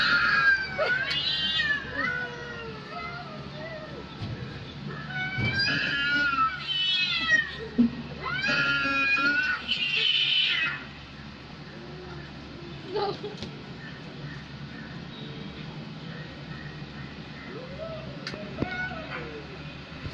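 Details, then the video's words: Fighting cats, with a pet cat reacting, trade loud harsh yowls and caterwauls in repeated bursts over the first ten seconds, then quieter scattered meows follow alongside a faint hum. "CAT FIGHTING"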